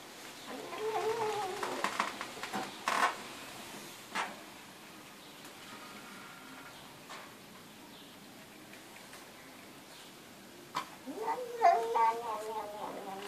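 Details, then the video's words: Domestic cat meowing in a small room, two drawn-out harmonic meows near the start and end with a rising then falling pitch, separated by sharp clicks and taps and a quiet stretch. "Cat talks like Humans"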